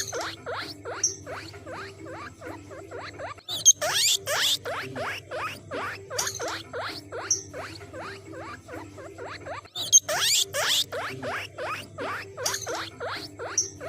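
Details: A guinea pig gives rapid, evenly spaced squeaky clicks, broken by louder shrill squeals, sounds said to call other guinea pigs.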